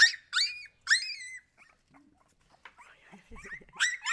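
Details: Siberian Husky puppies giving high, sliding whimpers in three quick bursts, a quiet pause with faint soft sounds, then whining resumes loudly at the end.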